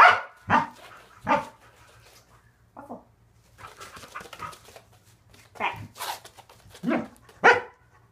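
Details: Pet Corgi Waffle barks in loud, isolated bursts during a training session on foot placement and conditioning exercises, with quiet gaps and a few spoken cues between them.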